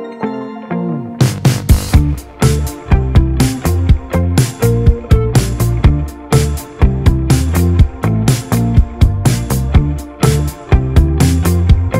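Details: Upbeat funky electronic music with a strong regular beat and deep bass line.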